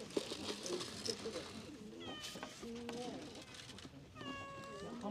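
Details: Stray cats on an island at their lunchtime; several clear meows, including a long, steady, harmonic one near the end, over murmuring voices and clatter.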